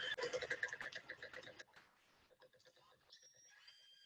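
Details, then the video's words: Natural sounds of killer whales communicating, recorded in Johnstone Strait, British Columbia: buzzy, harmonic pulsed calls ending with a thin, high whistled tone. "So the first part of it is just natural sounds of killer whales communicating."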